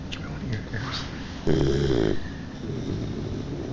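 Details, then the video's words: French Mastiff puppy of three months asleep and snoring, a single rattling buzzy snore in the middle after a few soft snuffles and a faint human murmur. "Dogue De Bordeaux Puppy Snoring"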